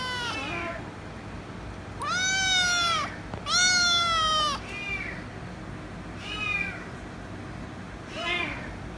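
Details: A loud kitten demanding head rubs, screaming without stopping: two strong drawn-out meows back to back, then three shorter, fainter meows, over a low constant hum.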